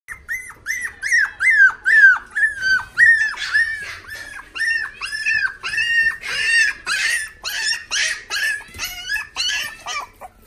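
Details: Pomapoo puppy in a pet shop in Nagahama, whimpering in a steady run of high, thin whines, each sliding down at the end, about two per second, some breaking into sharper yelps, in a small indoor room.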